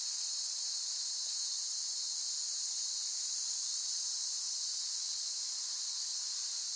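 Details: Unbroken shrill buzzing of cicadas, level and steady throughout, with a faint brief tick just after the first second.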